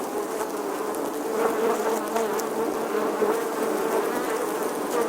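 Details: Summer buzzing of a bee, a continuous low drone whose pitch wavers slightly and whose loudness rises gently after the first second, holding steady to the end.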